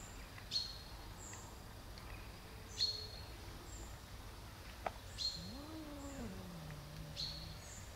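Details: One of many shy cats gives a single drawn-out meow that rises, wavers, then slides down into a long low tail. Small birds chirp repeatedly around it with sharp, high, clipped notes.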